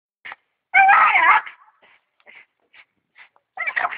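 A Staffordshire Bull Terrier lets out two loud, wavering whining cries that bend up and down in pitch. Between them come several brief, quiet yips and whimpers.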